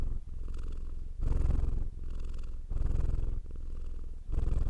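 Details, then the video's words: Cat purr, low and throbbing, rising into stronger surges and dropping to gentler stretches about every 0.7 seconds, a continuous buzzy rumble without background noise. "Purring Cat sound for Relaxation"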